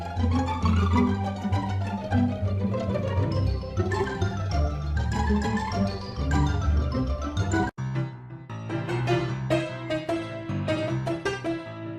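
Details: Bright mallet-percussion music fills the whole stretch, briefly cutting out near the end, with no animal sound heard.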